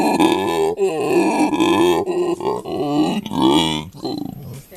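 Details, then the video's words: At Monkeyland in South Africa, a captive male howler monkey vocalizes near his mate and young; choppy run of harsh, belching grunts, about two per second, uneven in spacing and loudness, fading toward the end. "Monkeyland in RSA's howler monkeys - in conversation"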